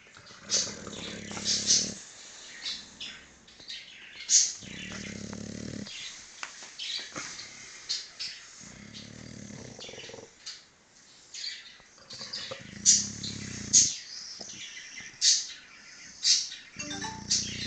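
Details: Napping English Bulldog snoring in low buzzy breaths that recur about every three to four seconds, with frequent sharp bird chirps and tweets overhead between and over the snores.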